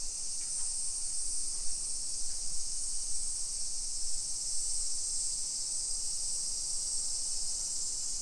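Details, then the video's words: Summer cicadas in a hillside residential suburb of Nisshin city near Nagoya, Aichi Prefecture, Japan, at 1 PM on 28 July 2021. The chorus is an unbroken, high, shrill drone that holds steady throughout, over a soft low rumble of street ambience. "Summer Cicadas Sounds"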